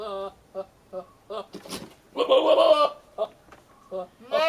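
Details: Billy goat courting a nanny goat with odd noises: a string of short, evenly spaced grunting pulses, then a louder, rough, drawn-out bleat, and more brief pulses at the end.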